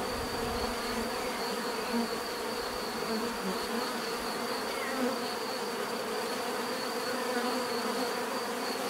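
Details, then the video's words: Continuous natural buzzing of many bees, an even droning hum with brief louder passes of single insects and a faint steady high tone overhead. "bees therapy relaxing natural buzzing sound"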